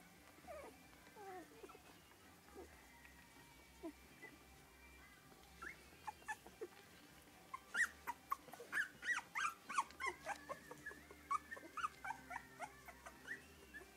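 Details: English Cocker Spaniel litter at three weeks old, soft scattered squeaks building into a dense run of quick high-pitched yelps and whines over several seconds, then tapering into occasional cries.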